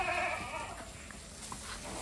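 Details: An Osmanabadi goat on a Maharashtra goat farm, India, at evening fodder time, gives one tremulous, nasal bleat lasting under a second, then quiet rustling and soft farm background noise follow.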